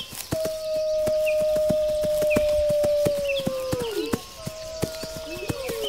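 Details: Wolf giving a long, steady, level howl that holds for about three seconds and then drops, followed by a second rising howl, over rapid regular clicking and a few high bird chirps.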